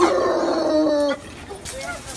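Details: One of two very loud, frantic, hysterical bloodhounds, filmed before training, gives a drawn-out, deep baying bark that slides slightly downward before cutting off.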